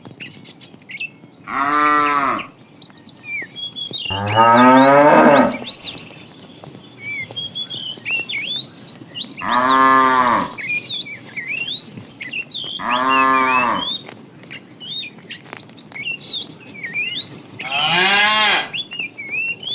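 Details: Tame cows in a herd beginning their morning activity, roaming and looking for food; five loud harmonic moos about every three to four seconds, some rising then falling, over constant chirping and whistling birds in the background.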